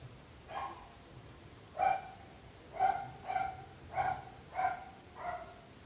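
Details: A dog barking persistently, presumably nuisance barking heard by neighbours: a string of about six sharp, mid-pitched barks at roughly one-second intervals after an opening bark, over a faint low background hum.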